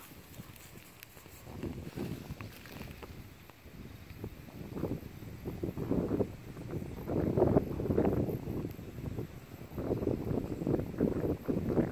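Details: Outdoors by harvested rice fields, wind buffets the microphone while rustling, crunching movement through straw rises and falls, with no animal call heard.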